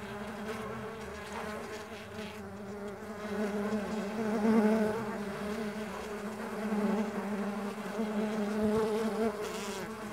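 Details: A constant buzzing drone of Mandaçaia stingless bees in flight. The overtone-rich hum rises in loudness around the middle and again near the end as bees come closer.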